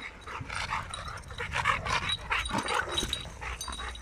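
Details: Dogs meeting in a garden as Dogo Argentino Lilit enters among seven rottweilers, including the females Prenses and Gece, whom she had not met before; rapid breathy pulses like panting, with soft whines, under a person talking.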